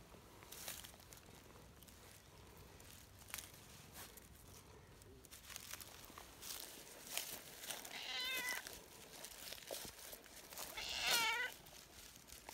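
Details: An affectionate tortoiseshell community cat cries earnestly while being petted outdoors. After several seconds of rustling and handling noises, two wavering meows come about three seconds apart.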